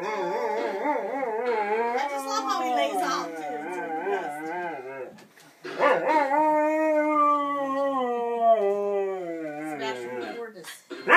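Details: Domestic dog singing along as its owner plays piano, drawn-out quavering howls with rising and falling pitch, a brief pause near the middle, then another long steady howl.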